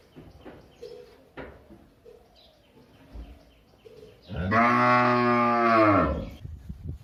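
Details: A single long, deep cow moo lasting about two seconds, strongly harmonic and steady, after a stretch of faint scattered background sounds.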